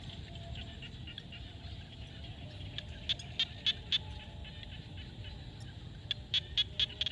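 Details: Frogs calling at sunset in a field in Cambodia: short, sharp, high clicking notes in loose runs, four in the middle and a quicker burst near the end, over a soft steady low rumble and faint background chirring.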